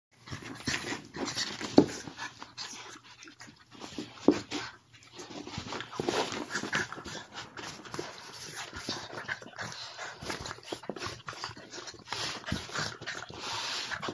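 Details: Boston Terrier and French Bulldog mix in a lively play-fight, wrestling with another dog; irregular bursts of snorting, growling and panting, some louder peaks, with scuffling noise throughout.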